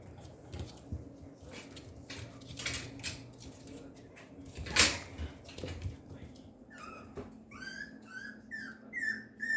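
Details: Papillon puppy, a girl, on an August 28 morning; mostly clicks, rustles and one sharp clatter, then a quick series of high, wavering whimpers near the end.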